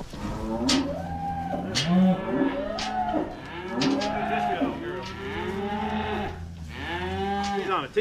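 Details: Cattle being moved home on a farm, mooing in a run of overlapping low, drawn-out calls with rich harmonics, several moos one after another, with sharp clatters and a steady low hum beneath.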